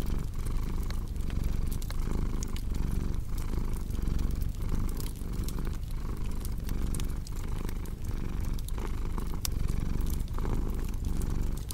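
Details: Purring cat with a cozy fireplace: a thick, low vibrating drone pulsing in regular breath-by-breath waves over about twelve seconds, dotted with frequent crisp crackles from the fire.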